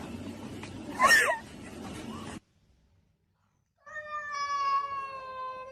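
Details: Domestic cat meowing: a short rising-and-falling yowl over room noise, then a pause of silence, followed by a long, steady, drawn-out meow lasting nearly two seconds.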